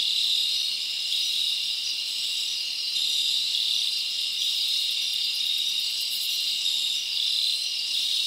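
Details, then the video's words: Night chorus of crickets in a summer forest, an unbroken high buzzing trill from numerous insects layered together, with a brief brighter burst near the end and no other noises. "Live Crickets Natural Sound"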